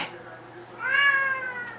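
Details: Indoors at feeding time, a Siamese cat from a loud pair gives a rising, then slowly falling meow after a short spoken question, the call sustained for nearly a second.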